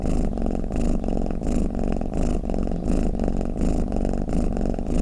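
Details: Domestic cat snoring and purring: a steady low rumble that swells and fades with each breath, about every half second, with a faint higher rasp on each swell. No other sounds stand out.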